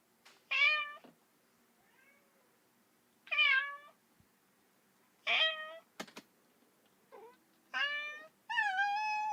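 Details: Lonely kitten calling for its mother with strained, breaking meows spaced a couple of seconds apart, the last ones longer and more drawn out, against a faint low background hum and one sharp click.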